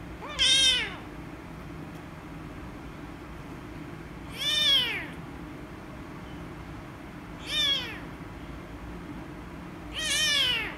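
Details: Rescue kitten, a female, angrily protesting being petted with four short, sharp, loud meows spaced about three seconds apart, each rising briefly then dropping, separated by quiet indoor hum.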